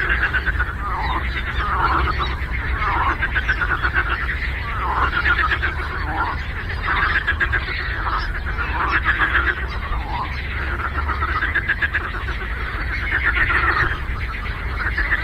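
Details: Frogs croaking on a lake as a thick chorus: repeated buzzy, pulsed croaks from overlapping animals, some dipping in pitch, steady low noise throughout.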